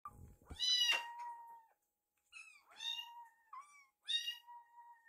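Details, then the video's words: Rescued baby kittens at mealtime, one kitten sneaking food from another's dish, indoors. High, harmonic meows with a falling tail, three calls spaced about one and a half seconds apart, quiet room. "突撃子猫のご飯。隣のご飯はどんな味かな？【赤ちゃん猫 保護猫】"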